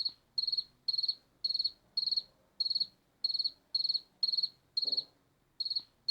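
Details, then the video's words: A cricket gives a run of sharp, high, trilled chirps, each made of several fast pulses rising in loudness, spaced about half a second apart; a soft low knock is heard near the end amid quiet background hum. "Som de Grilo - Barulho de Grilo"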